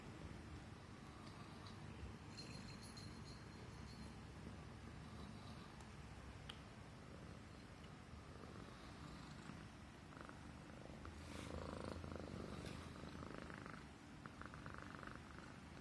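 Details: Purring Himalayan Persian cat being petted on its neck, showing it feels safe and comfortable; a steady low rumbling texture runs throughout, swelling slightly toward the end, with faint scattered rustles above.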